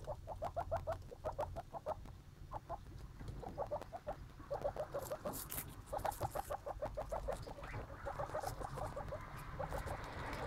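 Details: Baby skinny pigs chattering in fast trains of short squeaks, several per second, with a louder rustling burst midway and low background noise.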